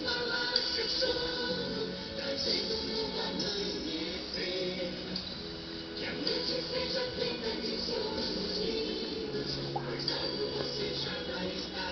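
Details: Steady music with sung voices and layered instruments fills the whole stretch, with no snoring or other animal sound standing out.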